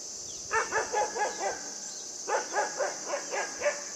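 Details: A puppy playing with a buck lets out two rapid runs of high, sharp yips and barks, about five in each run, over a constant high-pitched background hiss.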